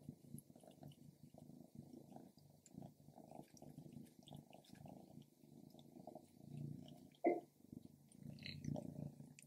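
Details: Stripes, a female pet cat, indoors eating grilled lamb: a low, steady rumbling purr runs throughout, broken by soft chewing and smacking clicks, with one sharp bite-like snap near the seven-second mark.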